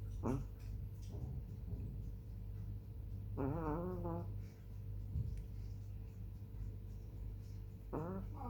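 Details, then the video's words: Female black chihuahua Hani snores in her sleep on 18 July 2021 at 21:07: three whistling, harmonic snore breaths spaced several seconds apart, the middle one longest, over a low steady hum. "Snoring chihuahua"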